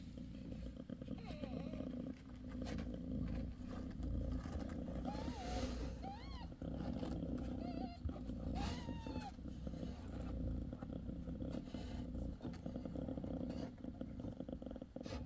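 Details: Bassy, a mother cat six days after giving birth to five kittens, purring in a steady low rumble while thin, high squeaks from newborn kittens rise and fall between about five and ten seconds.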